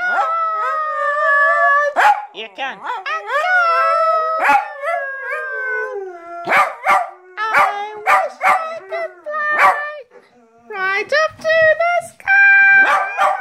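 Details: Pair of dogs singing along to a song with long wavering howls, some notes gliding downward, interrupted by sharp short yelps and bursts between the sustained tones.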